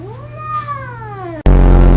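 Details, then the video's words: Long, drawn-out meow from a clingy pet cat, sliding up and then gently down over about a second and a half. It is cut off by a sudden loud burst of music-like noise. "A clingy cat"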